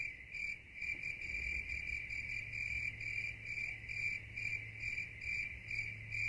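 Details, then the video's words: Night-time crickets trilling continuously in a high, ringing tone, softly pulsed about twice per second, with a quiet low rumble underneath. "ASMR night nature sounds [crickets]"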